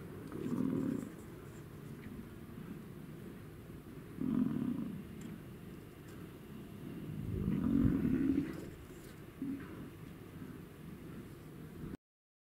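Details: Low, rough grunts from an American bison, recorded close up in a herd at Wind Cave National Park in the Great Plains, come in short bursts separated by quieter pauses.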